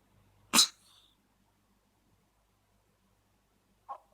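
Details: A young kitten recovering from cat flu, sneezing while playing. One sharp, hissing sneeze burst, then near silence and a brief soft snort near the end.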